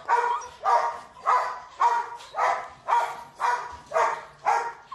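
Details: Rottweiler puppy giving a run of nine evenly spaced, harmonic barks, roughly two per second, each short and rough with a clear tonal core, against a quiet background.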